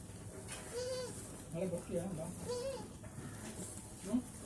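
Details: Goats on a farm, several short tonal bleats with arched pitch spaced about half a second to a second apart, over low background rumble and faint voices.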